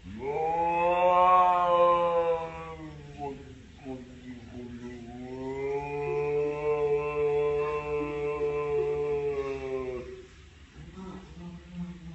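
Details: Fighting cats hold a long, low, droning moan that swells and fades. A second drawn-out, slightly rising wail follows for about four seconds, then shorter low grumbles at the end.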